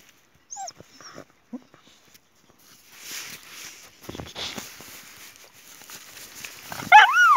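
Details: Boxer named Jessie in a tussle with her friend Spike over a toy: brief yelps early, a stretch of rustling scuffle, then a sharp, high, rising-and-falling whine at the close.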